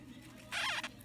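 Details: A blue sapphire dwarf hamster gives a brief, high, wavering squeak while guarding its food.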